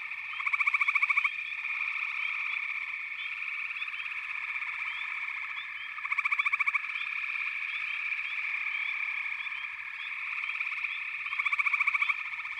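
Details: Frog chorus forming a continuous high, ringing trill, with louder fast-pulsed rattling bursts about every five seconds and faint chirps scattered through it.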